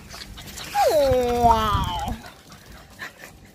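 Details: French Bulldog playing hide-and-seek with children gives a drawn-out whine that slides downward over about a second and a half, amid running footsteps and household noise.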